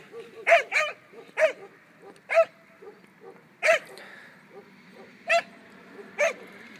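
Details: Two-year-old German Pinscher in protection training, giving loud, harsh barks at an uneven pace, a quick double bark first and then single barks spaced about a second apart, with softer grunts between them.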